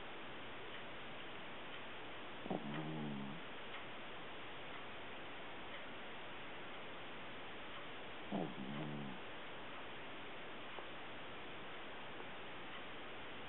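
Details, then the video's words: Sleeping puppy snoring softly, two low, rough, buzzy breaths about six seconds apart against steady background hiss. "Cute Puppy Snoring!"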